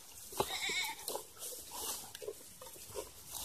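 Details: Farm goats being given water: one short wavering bleat near the start, then softer scattered bleats and shuffling sounds.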